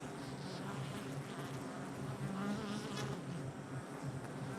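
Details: Honey bees buzzing at a hive entrance on July 22nd, 2024: a dense, continuous low hum with steady harmonic drone bands and fluctuating wingbeat tones from many bees flying in and out.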